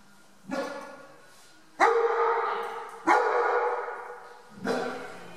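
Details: One-year-old German Shepherd in a board-and-train program with dog trainers in Omaha, Nebraska: four loud, deep, harmonic barks spaced roughly 1.3 to 1.6 seconds apart, each trailing off in a long echoing ring as if indoors.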